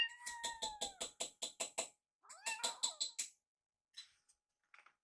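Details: Foster rescue kittens waiting indoors by a microwave for their food; two drawn-out falling meows are partly masked by a fast run of sharp clicking or tapping pulses, followed by faint scattered noises.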